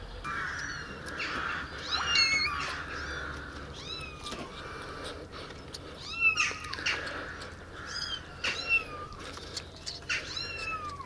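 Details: Tiny abandoned baby kittens, rescued from the street eight days earlier and now kept in a warm basement, walking and drinking milk from a syringe; high, thin meows arching down in pitch, several kittens calling in irregular overlapping bursts over a low hum.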